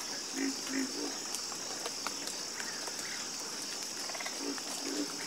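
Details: Frog chorus in a calm nature setting: low, pulsing croaks in short bursts, repeated several times, over a steady high-pitched insect drone and faint scattered clicks.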